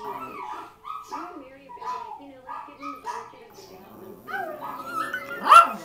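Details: Pet dogs howling along after hearing a recording of their earlier howls; several wavering, mid-pitched howls overlap and slide up and down, ending in a loud sharp bark.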